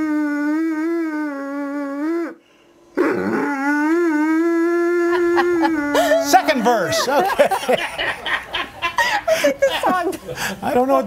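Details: A Doberman Pinscher from Salt Lake City "sings" in long, steady, tonal howls that waver slightly in pitch before people start talking.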